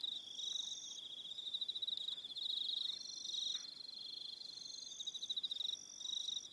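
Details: A high, even chorus of crickets in the evening on New Zealand's Aroha Island, many rapid pulsed trills layered together and swelling gently in loudness.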